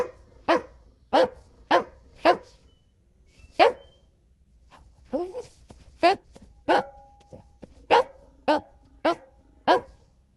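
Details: Golden Retriever giving a run of about a dozen sharp, loud barks. They come in quick bursts of three or four, with short pauses between groups. Faint human noise sits in the gaps.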